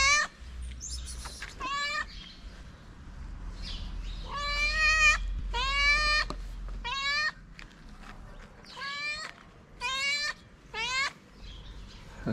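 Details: Repeated meowing from a calico cat living on the streets of Morocco, asking for love and food; roughly ten loud, harmonic meows, about one per second, some rising at the end, with low ambient rumble.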